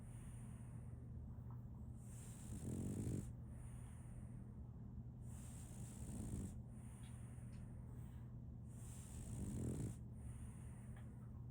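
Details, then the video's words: Sleeping French Bulldog puppy named Solaimy, a female, giving slow rasping snores, three drawn breaths spaced roughly three and a half seconds apart, with a constant low hum and soft high-pitched hiss in the room. "RONQUIDO de un French Bulldog"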